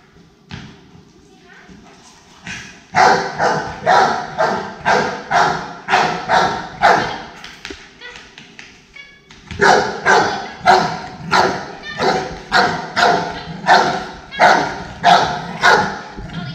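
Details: Rottweiler named Ali, an aggression case in training, barks in two long runs of loud, harsh, regularly spaced barks about two or three per second, with a short pause between runs and a quieter stretch at the start.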